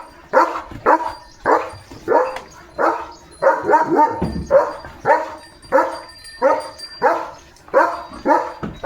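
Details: Pet German Shepherd Leo, dashing about with a shoe in his mouth as a playful stunt, gives a steady run of around fourteen sharp barks, close to two per second, loud and fairly even.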